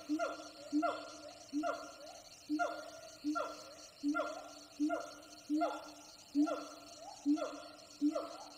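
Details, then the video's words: Jungle siamang gibbons calling from far off, from several wild troops: loud, human-like barks repeated roughly every 0.8 seconds, each striking sharply then sliding down in pitch, over a continuous background hum. "The wiredly human calls of Siamang gibbons."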